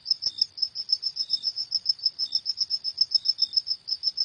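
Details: Night-time cricket chorus: shrill, even chirps repeating quickly and regularly, with a fainter second tone dropping in now and then, over a quiet, still background.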